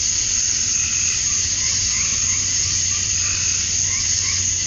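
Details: Summer-night cicada chorus at dusk in Georgia, USA, where males call to attract females. A steady, shrill buzzing wall of sound fills the recording, and soft lower chirps rise briefly beneath it.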